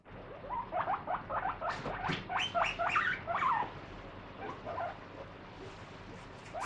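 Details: Pet guinea pig eating a strawberry, bothered by its prickly seeds yet still wanting it; a quick run of short squeaky chirps, about two a second, fading after a few seconds under a soft background hum.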